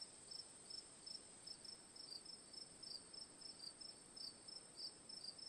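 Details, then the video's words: Cricket chirping in a sleep and relaxation ambience: short high pulsed chirps repeated several times a second in an uneven rhythm, over a steady high insect hiss and soft broadband background noise. "Cricket Sounds for Sleep/Relaxation, Ambience, & Sound Effects"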